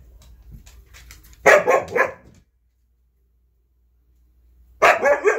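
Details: Red Siberian husky puppy indoors, barking and talking back at things around the house: two short, harsh, broadband vocal bursts, the first about a second long, the second starting three seconds later; faint music beforehand.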